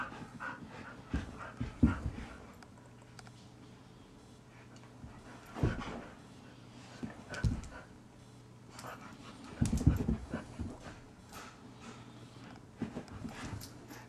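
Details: Rhodesian Ridgeback, a male named Blaise, found stray around 9:00AM in the Meadowbrooke subdivision near Mauldin Middle School, Greenville, South Carolina; soft irregular panting breaths come in bursts with quiet gaps between them.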